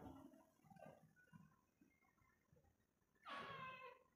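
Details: Pet cat named Simba gives one short harmonic meow that falls slightly in pitch and lasts about a second. It follows a person calling its name and soft indoor rustling.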